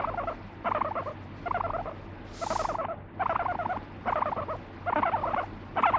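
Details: Pet guinea pig, angry when its owner stops petting, biting and urinating, no background music: short pulsed, grating bursts about half a second long, repeated roughly every second, with one brief hiss of noise midway.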